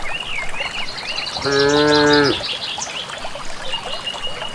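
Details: Village cattle heading on their own toward grassy pasture in a green valley, calling out as they walk. One flat, harmonic moo under a second long in the middle, surrounded by busy chirping and whistling of birds in the countryside.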